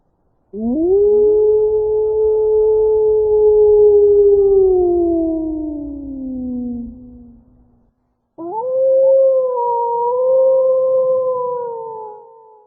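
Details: Two wolf howls: the first rises, holds a long level tone and then sinks gradually as it fades; after a brief pause a second howl wavers gently at a slightly higher pitch.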